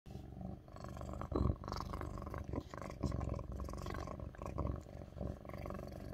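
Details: A Lynx point (tabby point) Siamese cat purrs loudly and close by on a person's lap, a deep continuous rumble with a steady pulsing rhythm.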